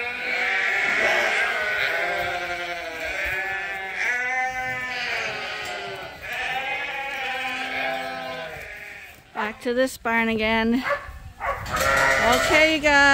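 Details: Domestic sheep at Ewetopia Farms, a morning pile-up of the flock waiting to go out to pasture: many overlapping wavering bleats in a dense chorus, with a brief quieter gap before loud bleating resumes.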